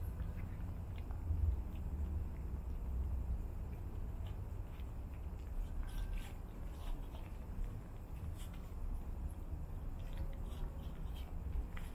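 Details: Low rumbling room noise with faint scattered taps and rustles, and no clear animal voice.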